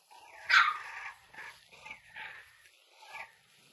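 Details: Three-week-old American Bully puppies from a King Clyde x Dynasty litter, 2022: one sharp, loud yelp, then a run of softer, wavering whiny squeals about every three-quarters of a second, fading away.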